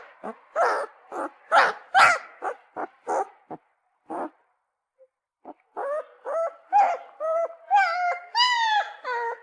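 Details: Puppy crying: a burst of short, sharp yelps, then a brief pause, then a run of longer, rising and falling whines that grow higher toward the end.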